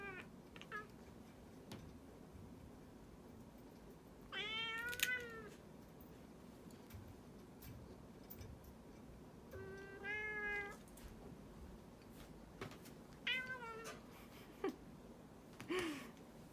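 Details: Pet cat protesting indoors during claw clipping, giving drawn-out, bending meows roughly every five seconds, each rising then falling in pitch, plus a few brief squeaky mews near the end over low room noise.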